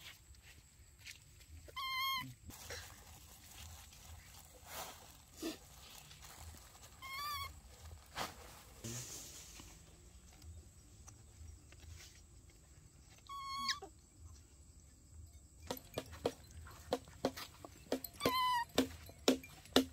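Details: Baby monkeys giving brief, piercing squeals a few seconds apart, shrill with a quivering pitch, amid quieter background noise and some tapping sounds near the end.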